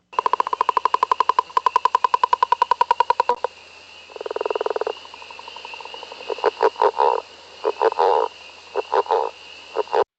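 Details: A Northern leopard frog in the Mont Saint-Hilaire region of Quebec gives a long rattling, lion-like snore of rapid pulses, then soft grunting chuckles like laughter; a spring peeper calls in the background.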